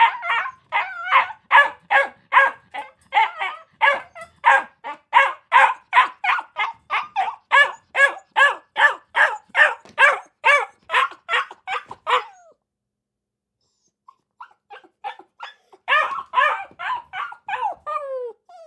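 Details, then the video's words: Akita puppies barking in a long, fast, rhythmic series of shrill yips for about twelve seconds, a short silence, then more scattered barks ending in a falling whine. "Akita Puppies Barking 🐕 Akita Puppy Sounds 🐶 Puppy Bark"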